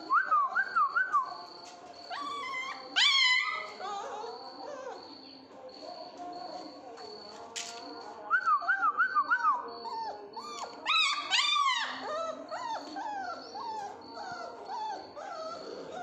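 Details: Two male Mudhol Hound puppies in Bagalkot, Karnataka, give high wavering whines in rising-and-falling bursts, clustered near the start, middle and end, with quieter mutters between and a thin steady high tone running underneath.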